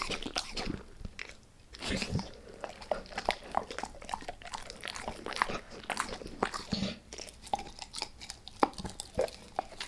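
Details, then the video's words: Dog named Max going all in on a beef rib indoors, a steady run of wet crunching bites and gnawing clicks, dense and continuous with brief pauses, no voices. "Max Eats | Beef Rib | ASMR DOG EATING"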